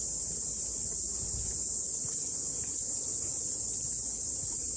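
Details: Cicadas singing after rain on a morning mountain hike, a steady dense high-pitched hiss continuing unbroken throughout, with faint low rumble beneath.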